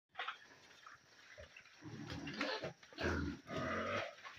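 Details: Young pigs feeding in their pen at a piggery, giving low rough grunts and oinks that grow denser and louder toward the end, with feeding noises mixed in.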